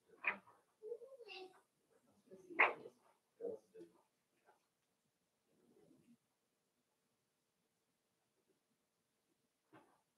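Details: Daisy's five-week-old Cavalier King Charles Spaniel puppies, indoors in their pen, give a cluster of high whines and yelps, one rising-and-falling whimper, then a short sharp yip before fading to near silence with a last faint squeak.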